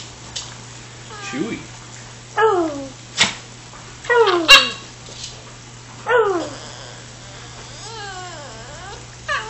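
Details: Excited dog eager to go for a walk: a few high whining yelps, each sliding downward, spaced every one to two seconds, with a person talking to it between the cries in a small room.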